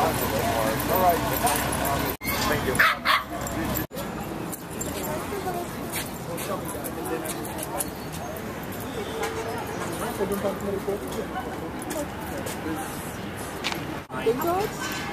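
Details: Small dogs running and playing together in the small dog park at Washington Square Park, December 2011, filmed on a Flip camcorder; short yappy barks and yips break through steady close chatter of people throughout.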